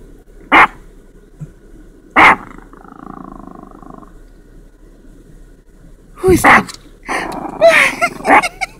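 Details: Chihuahua barking at Santa: two sharp, short barks about one and a half seconds apart, a quieter stretch with a faint tonal sound, then a dense flurry of yappy barks mixed with other noise near the end.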